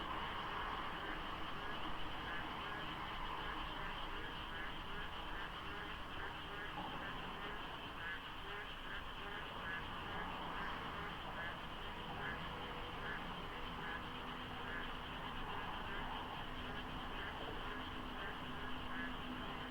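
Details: Frogs calling en masse before daybreak in the rainy season near the Deokso expressway interchange, Korea, with mist on the road; continuous layered croaking in quick rhythmic pulses, a faint steady hum and low traffic rumble underneath.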